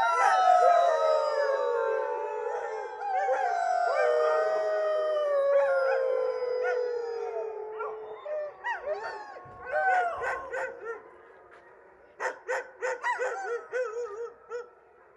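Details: Several huskies in Alaska on 5 October 2022 howl together in long, sliding, falling tones that break into yips near the end.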